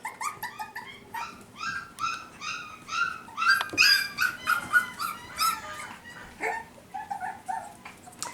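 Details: Five-week-old F1b Cavapoo puppies from Honey's litter, kept at a licensed kennel in Carthage, Missouri, whimper almost nonstop indoors, about two or three short high cries each second, overlapping with a few louder yelps.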